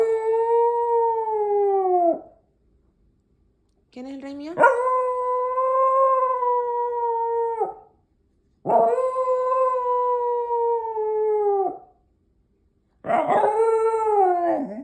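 A Miniature Schnauzer gives long, steady howls, each lasting about three seconds with short pauses between.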